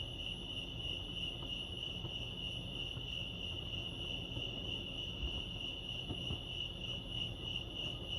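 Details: Continuous high-pitched cricket chirping at Lake Arrowhead, California, a fast even pulsing note with faint overtones above it that never pauses, set against a quiet low-pitched outdoor hum.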